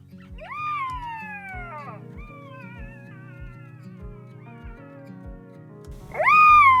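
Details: Black-backed jackals calling and playing in an early-morning riverbed at Mata-Mata rest camp, Kgalagadi, in August 2023, give long, clear wails that rise sharply, then slide slowly down, with a second rising cry near the end over background music with a beat.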